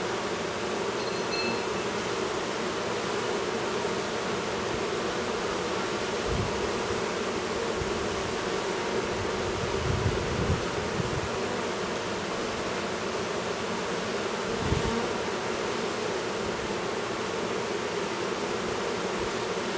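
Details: Honey bees at an apiary near Duluth, Minnesota, where a new drone chews its way out of its cell; a steady, low, droning hum of many bees runs throughout, with a few soft low thumps.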